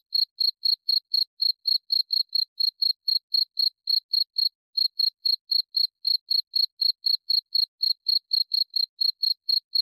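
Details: High, shrill cricket chirps repeat about four times a second, with one brief gap midway before the even pulsing resumes; nothing else audible.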